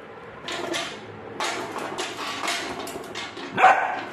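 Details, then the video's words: Rottweiler puppy barking at a bucket indoors: a string of short, sharp barks in quick succession, with a louder final yelp near the end. "Rottweiler puppy barking at the Bucket"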